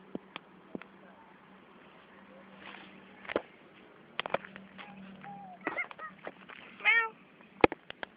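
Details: A pet cat at play gives one short, tonal meow with stacked harmonics near the end. Children chatter in Indonesian throughout, with sharp clicks and handling knocks.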